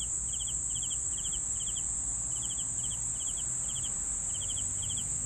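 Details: Crickets chirping: short bursts of three or four rapid pulses, repeated roughly every half second with a brief pause midway, over a steady high-pitched drone and a low background rumble.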